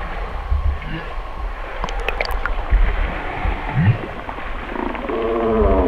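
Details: An Alaskan humpback whale vocalizes in song or feeding calls: a low rising whoop, then a drawn-out harmonic moan over deep underwater rumble.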